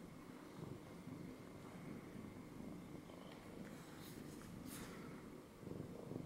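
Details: Domestic cat purring after jumping up onto a lap; a steady, low rumbling purr with rhythmic pulsing runs throughout, over a faint constant high hum and a few soft rustles near the end.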